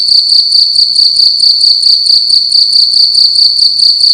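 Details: Single cricket calling loudly at night inside a room: a steady, high, ringing chirp repeated in quick pulses about two to three times per second, with no other sounds.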